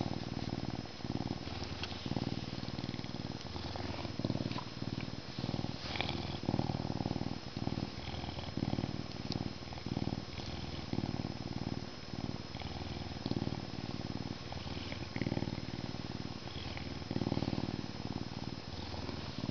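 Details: Canada lynx purring steadily, a deep pulsing rumble that rises and falls with each breath in short regular surges, about four pulses a second, close and loud with little else heard.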